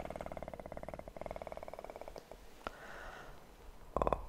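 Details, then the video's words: Kitten purring close up for about two seconds as a steady, rapidly pulsed rumble with a brief break, then a quieter stretch with a soft click and a short louder burst at the end. "ASMR kitten purr"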